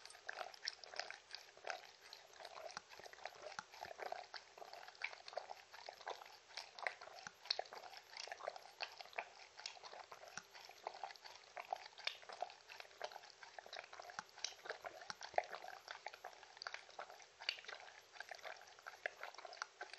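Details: Close indoor recording of Mindy the Shetland Sheepdog enjoying treats and water, no talking: twenty seconds of continuous fast crunching, smacking and wet lapping clicks at an even, busy pace.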